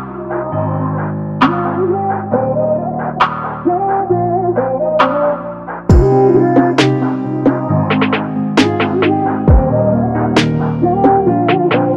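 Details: Ambient synthesizer music with echoing plucked notes throughout, no animal sound heard.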